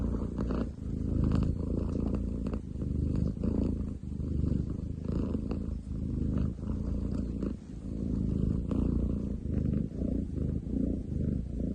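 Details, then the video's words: Loud rumbling purr from a male long-legged munchkin cat, July 2023, a coarse low buzz pulsing in breath-length waves roughly every one to two seconds, steady throughout. "工事現場並みに喉を鳴らす猫。Cat purr like construction site!?"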